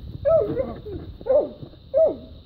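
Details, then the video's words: Hunting dogs holding a raccoon up a tree: three loud, ringing barks spaced about a second apart, each with a bent, falling tone, over quiet outdoor background. "Dogs fight coon and tree him"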